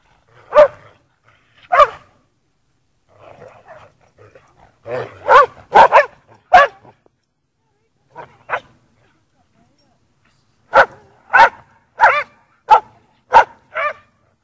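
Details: Playing in the snow at Priory marina in Bedford, lurchers Egg and Toby with Buttons bark in irregular bursts, roughly ninety-five barks a minute, pairs and short runs broken by quiet gaps, ending in a rapid volley.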